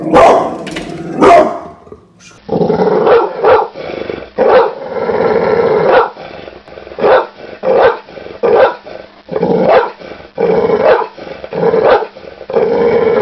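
A pit bull barks in loud, deep bursts, repeated roughly every second with growly undertones.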